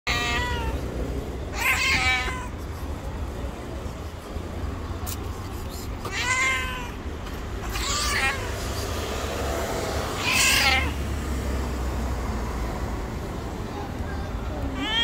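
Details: An angry, sick white street cat meowing outdoors; short harsh meows recur every few seconds over a steady low rumble of traffic, with faint background noise throughout.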